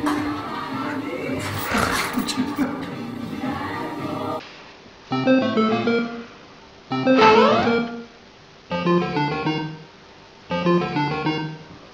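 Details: Music with singing and instruments plays in bursts separated by short quiet gaps, and no animal call stands out.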